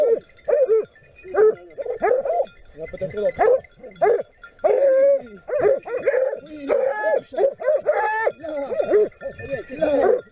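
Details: A pack of Griffon Nivernais hounds in Haute-Garonne bays in loud, overlapping bursts while chasing a wild boar during a hunt.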